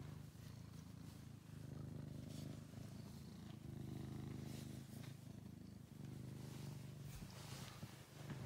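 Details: Rescued male house cat Angelus, found thin and sick in a basement, purring loudly and continuously, a deep rumble pulsing in steady breaths with faint rustling.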